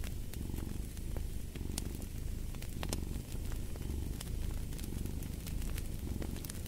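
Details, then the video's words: Rhythmic low purring from a cat, breathy pulses repeating about once a second, overlaid with scattered sharp pops and crackles of a wood fire. "Fall asleep to the Purring of a Cat"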